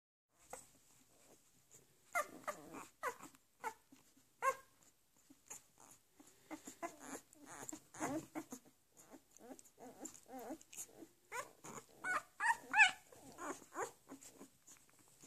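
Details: Leonberger puppies, several together, giving short high whimpers and yelps in irregular bursts, roughly three per second, some rising into thin squeals, with quiet gaps between flurries.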